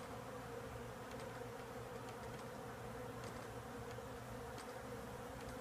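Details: Humungous bee swarm lodged in the woodwork of a house: a dense, unbroken low buzzing hum, steady throughout, with faint ticks and crackles above it.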